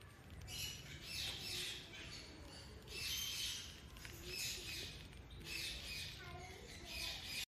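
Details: Sugar glider kept as a pet, giving harsh, buzzy, noisy bursts roughly once a second, each lasting about half a second, with a faint steady background hum throughout.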